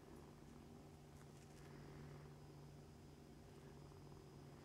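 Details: Deep, even purring from nursing kittens and their mother Mummy, fosters of the Humane Society of North Texas; a steady low drone without breaks, faint high crackles early on.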